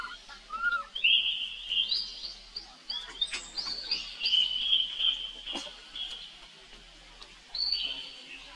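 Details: Calling for help, a young monkey brother of Rainbow gives drawn-out, high, tremulous whines that rise and fall in pitch, with brief pauses and soft background noise between cries.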